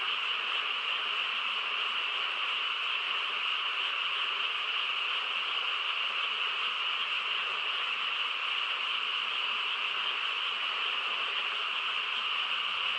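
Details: Countless frogs calling together through a still rural night, their voices merged into one constant shimmering drone that holds the same high, bright pitch bands from start to finish without any gap or change in loudness.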